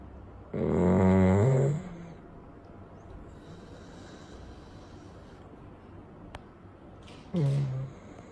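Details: Chow Chow dog sleeping on a warm day after his wash, left to dry naturally: a low, groaning snore-like breath lasting over a second, then quiet hiss, then a shorter groan near the end.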